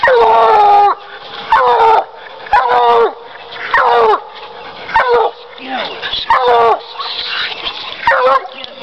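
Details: Coon dog treeing, a Bluetick Coonhound, baying in a steady rhythm of roughly one harsh, harmonic-rich bawl per second, each note sliding downward at its end.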